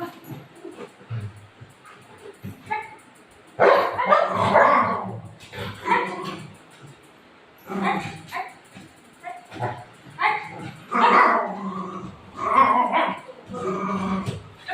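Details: Golden retriever dog playing indoors with its owner, letting out bursts of rough, broadband barks and growly yelps in uneven clusters, with quiet gaps between them and a woman's voice talking in between.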